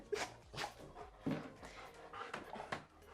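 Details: An excited dog whimpers and yelps in short bursts as a woman speaks, greeting its owner as she returns home in the evening before its walk.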